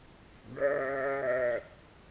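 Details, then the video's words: A single sheep bleat, recorded with a GoPro Hero, lasts about one second: a steady, nasal, richly harmonic baa with a slight tremble, against a quiet background. "Algumas ovelhas - Some sheep"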